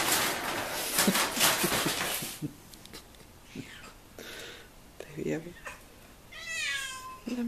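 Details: One of two 16-year-old pet cats, Rozi and Simi: about two seconds of loud rustling and scraping, some soft scattered sounds, then a drawn-out, wavering meow with a quivering tone near the end.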